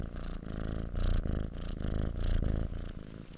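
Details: Close, loud cat purr: deep vibrating rumble rising into stronger swells about every 1.3 seconds as the animal breathes in and out, continuous without pauses.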